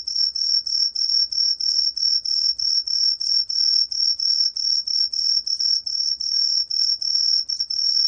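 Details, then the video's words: Green pine cricket song: a long run of shrill, ringing pulses, slightly uneven in spacing, roughly three per second, each a pure high tone with a soft lower harmonic. "청솔귀뚜라미, 여러번 듣기, 곤충소리"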